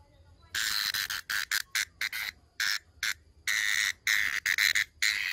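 A brown cicada gives loud, harsh buzzing bursts broken by brief pauses.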